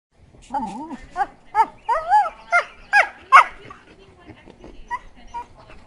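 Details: Heeler mix dog frolicking with an Australian shepherd in April 2012, making weird noises while playing: a run of short wavering, warbling whine-like yowls, about six bursts within two seconds, rising and falling, then fading to quieter rustling.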